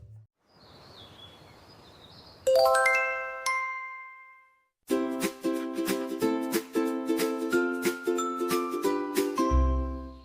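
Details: Chiming bell tones are followed by bright, plinking mallet-percussion music, with no animal voice.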